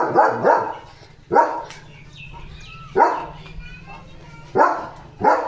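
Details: Leo, a German Shepherd, alerts to another dog outside with a quick double bark, then single loud barks spaced one to two seconds apart; a woman's voice speaking Marathi is faintly heard between them.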